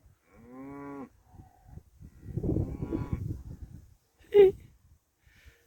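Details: Cow heard from a parking spot near grazing cattle in rural France, where cowbells also ring: one short harmonic moo, followed by louder muffled rustling and a sharp clink.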